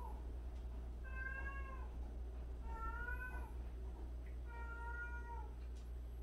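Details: A cat living among 76 cats, some of them former strays and abandoned cats, meows three times about every two seconds. Each meow is drawn-out and slightly falling, over a constant low electrical-sounding hum.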